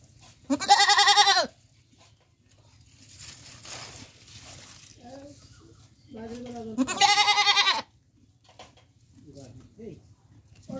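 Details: Bangladeshi goat bleating: a loud quavering bleat near the start, a softer nasal call, then another strong bleat, with faint murmurs, a brief hiss and low background hum between calls.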